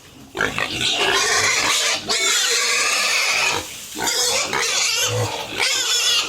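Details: Pigs on a home farm at feeding time, giving loud, harsh overlapping squeals in long bursts with short pauses between them, noisy pen sounds throughout.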